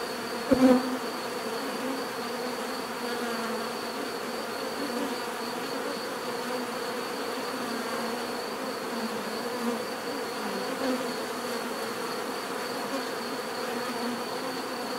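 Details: Continuous bee buzzing forms a smooth droning hum with slight wavering in pitch, opening with a brief sharp knock near the start.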